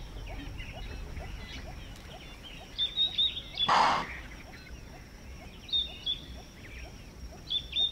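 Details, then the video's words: Impala in the African bush of Manyeleti Game Reserve, South Africa, giving an alarm call in response to a predator: one loud, explosive chuff bursting out near the middle, with birds chirping and twittering high throughout. "Impala Alarm Call - The sounds of Impala calling in response to a predator"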